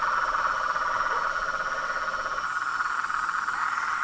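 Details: Frog and toad chorus: dense, continuous pulsing trill from many callers blending into a steady buzzing drone, with a lower rattling layer fading out midway.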